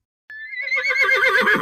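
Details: Horse neighing: a short, high whinny that starts thin and steady, then breaks into a loud, quavering, wavering neigh.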